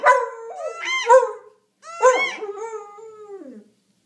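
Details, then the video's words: A BMC pup howls in response to a wood duck call, giving two wavering, yodel-like howls about a second and a half each, sliding up then falling away, with a short pause between. "Dog howls at Duck Call"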